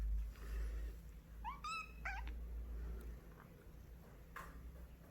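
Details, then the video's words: Kitten begging for a snack, using a sweeter voice than usual only when treats appear: two quick high meows, the first rising, the second falling, with bright layered overtones, then a fainter squeak, over low steady room hum. "간식 달라고 할 때만 갑자기 예쁜 목소리로 변하는 아기 고양이, a kitten makes cute sounds only when asking for a yummy snack"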